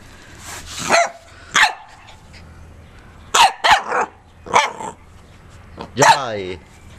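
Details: A pet corgi on the run, barking repeatedly in harmonic, slightly falling yelps and barks, about seven in seven seconds, with a low hum beneath and possible human voice mixed in.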